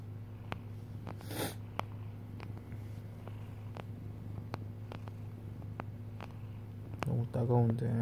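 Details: Hodu, a pet cat, kneading on a lap at dawn over sleep pants. A steady low purring rumble runs throughout, with soft clicks and taps. A person speaks quietly near the end.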